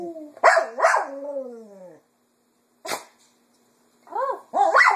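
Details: Female Cocker Spaniel kept indoors singing in the afternoon to mimic its owners' voices: two quick yelping notes running into a falling howl, a short sharp yip after silence, then rising and falling wavering yowls.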